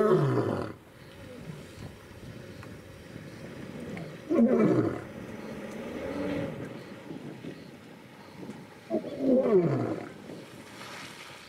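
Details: Lion at Olare Motorogi Conservancy in Kenya's Masai Mara, February 2019: three loud, deep roaring bursts spaced about four seconds apart, each sliding downward, with low grunts and faint background rumble between them.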